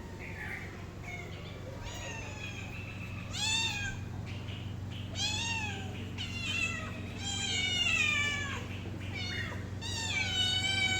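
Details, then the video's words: Pet cat giving a string of drawn-out, harmonic meows, several arching up then sliding down, coming faster and overlapping toward the end, over a steady low background hum. "my cat original sound and reaction"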